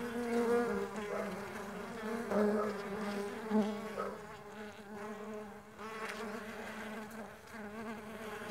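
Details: Mandaçaia stingless bees on the wing produce a continuous layered buzz, individual bees drifting slightly higher or lower in pitch as they come and go, with a few louder close passes.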